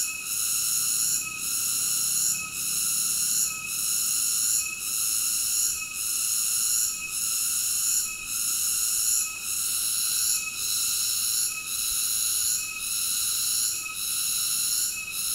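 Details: Cicada song: a continuous, shrill, high-pitched buzzing drone with a layered, ringing tone, briefly dipping in loudness about every 1.2 seconds across the whole stretch. No other sounds.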